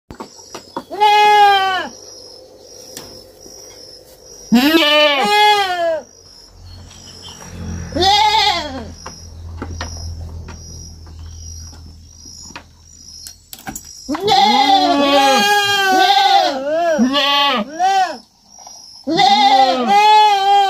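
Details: Young goat (kid) bleating on a farm: loud, wavering harmonic bleats in bursts, some with several overlapping cries around 15 to 21 seconds, separated by quieter gaps with low rumbling background noise and a faint steady high tone.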